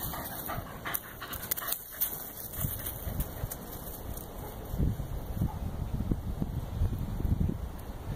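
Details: Corgi panting while playing fetch, eager for more throws: soft, low, breathy puffs, irregular at first, then coming in quicker rhythmic bursts during the second half, with scattered clicks and handling noise throughout.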